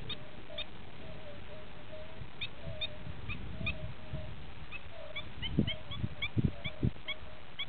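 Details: European fire-bellied toads (Bombina bombina) in a calling chorus: soft, mellow 'oop' notes repeat roughly every half second, overlapping one another, with sharp higher clicks scattered above and low rumbling thumps and background noise.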